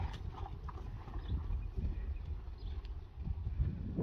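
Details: Young Friesian horses turned out again to a meadow that has dried after rain, dull heavy hoofbeats thudding irregularly on soft ground, with a low rumbling background and a few faint higher knocks.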